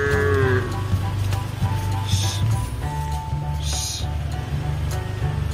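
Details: Mother cow on a modern cattle farm: a short moo at the very start fades within a second, then only a constant low droning hum and a few faint hissy bursts remain.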